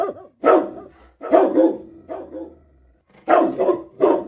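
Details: Husky dog giving loud, harmonic, wavering bark-like vocalizations in four separate bursts, some with two or three quick pulses, separated by short silent gaps; indoor quiet with no other sounds.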